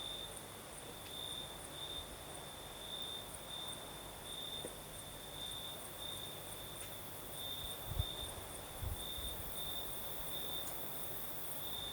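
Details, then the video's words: Night chorus of crickets in southern Crimea, a night breeze blowing: continuous high shrill trilling broken into short pulses, with soft low rustles and a couple of faint thumps beneath. "Звук ночи. Юг. Крым. Сверчки поют. Ночной бриз."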